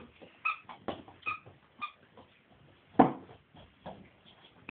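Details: Scottish Deerhound pups playing just after release from their travel crate following an air-cargo flight from Edinburgh to Helsinki; thin high whines and short yips come in irregular bursts, with one louder sharp yelp.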